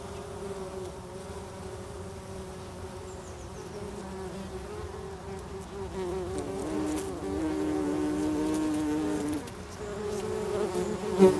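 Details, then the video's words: Bumblebees buzz steadily inside a bumblebee nest, several low droning tones overlapping and shifting slightly in pitch. "The sound of Bumblebees"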